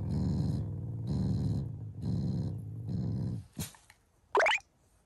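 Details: Shiba Inu in the morning, a family pet growling as affection rather than anger: four low rumbling growls of about half a second each, evenly spaced, then a sharp click and a brief higher sound at the end.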